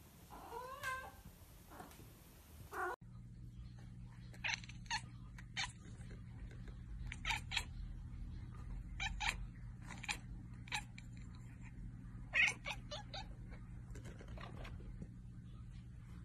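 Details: A Russian Blue cat or kitten gives a short, wavering, harmonic meow, followed by clicking noises and a steady low hum.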